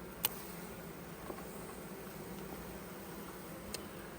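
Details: Honey bees in a hive opened for harvesting honey, frames taken out; soft, even low hum with faint banding and a few small clicks scattered through it.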